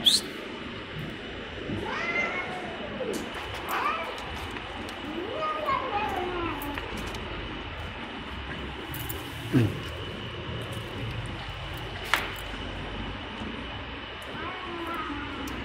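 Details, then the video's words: Malnourished stray cats being fed in Saudi Arabia, meowing repeatedly: about five drawn-out, arched meows that rise then fall, spaced every one to two seconds, over a steady background hum with scattered clicks. "CATS MEOWING LOUD"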